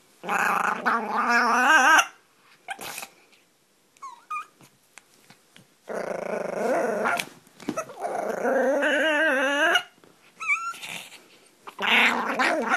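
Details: A Pomeranian puppy playing makes odd sounds: long, wavering, whiny growls in bursts separated by brief quiet gaps.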